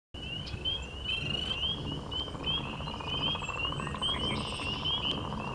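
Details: A chorus of spring peepers at Five Rivers gives high, clear, upslurred peeps that overlap in quick succession.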